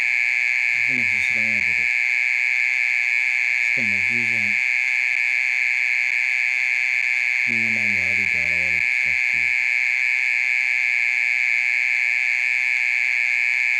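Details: Night-time mole cricket song, continuous for more than half an hour: a loud, level, ringing trill that never pauses, with a few brief low spoken phrases in the background.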